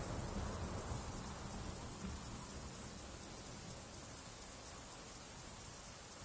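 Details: A male fat-bellied saddle bush-cricket (Pycnogaster jugicola) gives its calling song, a very high, sizzling hiss pulsed about four times a second over a low background rumble. Recorded in Sierra de Gredos on 17 July 2019.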